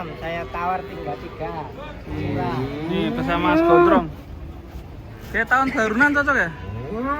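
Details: Huge cows descending from a truck, giving bursts of curving, sliding moos in two clusters separated by a brief lull, with human speech mixed in.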